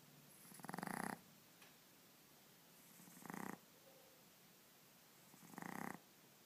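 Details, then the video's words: Boston Terrier puppy asleep and snoring: three raspy, buzzy snores, each about half a second long, coming roughly every two and a half seconds with quiet breathing gaps between them. "Boston Terrier Puppy Snoring"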